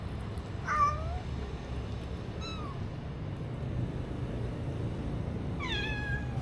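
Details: Stray kittens given little food, recorded on a DJI Osmo Action: three short meows with falling harmonic pitch, spaced a second or more apart, the last rising sharply then sliding down, over a low steady rumble.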